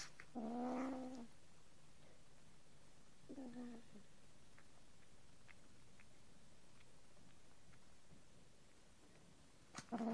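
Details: Domestic cats Angel and Arya make their odd sound while eating or being petted, unlike their growl: two short, moaning harmonic calls, one near the start and one a few seconds later, then another at the very end in a quiet room.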